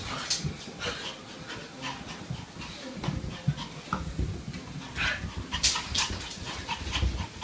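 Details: Dog breathing in quick, breathy, noisy bursts like panting or snorting laughter, with a few brief higher squeaky accents and faint background voices.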